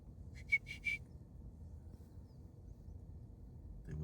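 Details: Prairie dogs in Colorado whistling to each other: three quick, high, thin chirps in close succession near the start, then a long stretch of quiet with low background rumble.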